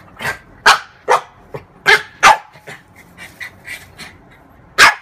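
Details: French bulldog, a female pet, playing with her own mirror image indoors; short sharp barks and yips come in irregular bursts, a few quieter soft yaps between them, then a final loud bark after a pause.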